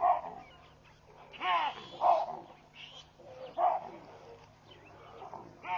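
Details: Baboons at Pete's Pond, Mashatu Game Reserve, Botswana, on 16 June 2013, race away and scatter while sounding alarms. Loud, harsh barks ring out in irregular bursts, about one every two seconds, over a low steady hum.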